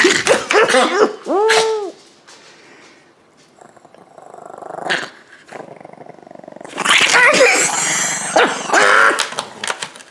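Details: Leon, a pet Chihuahua, grabs a take-out plate of food and later attacks a bedroom slipper: a burst of sharp, yelping barks with arched tones, a quiet gap, then loud rough growling and scuffling.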